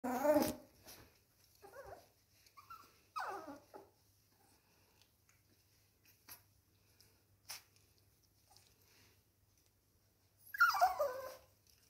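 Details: Norfolk Terrier puppies, seven weeks old, playing with toys indoors: a short sharp yelp at the start, soft whines around three seconds, then a louder high whimpering cry near the end, with quiet gaps between.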